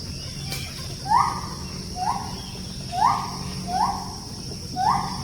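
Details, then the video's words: Daily gibbon song at a forest-edge settlement where the apes come to eat forest fruit; short, bright upslurred notes repeat roughly once a second over a quiet background hiss. "Bunyi Nyanyian Ungka / Gibbon Di Hutan"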